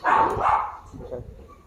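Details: German Shepherd giving two loud, rough barks in quick succession, followed by quieter background noise.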